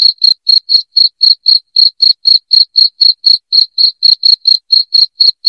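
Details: Loud cricket chirping played to drive rats from a house: short, shrill pulses repeated steadily about four times a second, high-pitched and clean with no other sounds.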